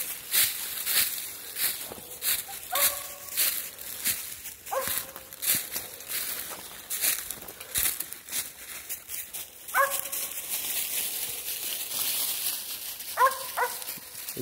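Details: Mountain Cur pups during training outdoors, giving a few short tonal barks or yips scattered among rustling and footsteps, with a person's voice nearby.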